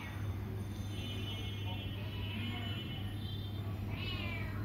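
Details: Young Bengal cat kittens mewing: a series of high, thin, slightly wavering cries, the last one rising sharply, heard over a constant low background hum.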